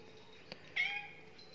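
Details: A two-month-old kitten being fed breakfast gives a single short, high meow against a quiet background, preceded by a faint tap.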